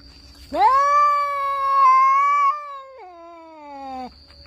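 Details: Orange domestic cats in a fight, one giving a single long, sustained yowl that swoops up, holds steady and nasal for about two seconds, then drops in pitch and fades; a faint steady high whine runs underneath.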